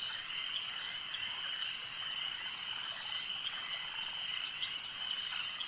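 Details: Frogs calling at a lake at night-time ambience: a dense, unbroken chorus of overlapping high trilling croaks, steady in loudness with no pauses, and no other clear sounds.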